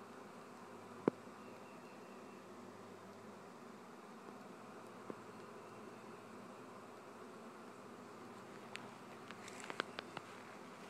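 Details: Steady buzzing drone of a honey bee swarm from a family-kept hive, with scattered faint clicks and ticks, a cluster of them toward the end.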